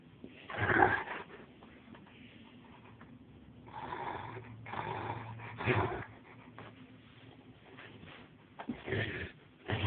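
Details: Angus, a male Rottweiler aged two and a half and weighing 170 pounds, playing indoors in a bedroom, recorded on a phone with distorted audio; rough, breathy snorting bursts come in irregular bouts a few seconds apart over low room noise.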